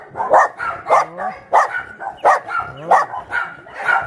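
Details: Abandoned dogs at Yangsan's Mindeulle Shelter bark steadily, with loud barks arriving roughly every two-thirds of a second and thinner whining yelps sliding upward between them.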